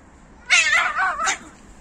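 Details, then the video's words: Male cat in a fight over females gives a single loud, harsh wail lasting under a second, wavering downward, then a short sharp burst, against quiet background. "Male cats fight each other over female cats."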